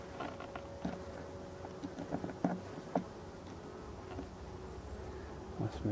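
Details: Colony of black honey bees in an abandoned hive being restored, a continuous droning hum with a clear held tone early on, overlaid by scattered taps and clicks from work at the hive.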